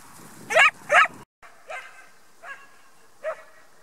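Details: Barking of a Cão da Serra de Aires, the Portuguese Sheepdog Hypnosis Deep des Gardiens de la Houlette, herding sheep: two loud, bright barks close together, a brief cut, then three softer, spaced barks.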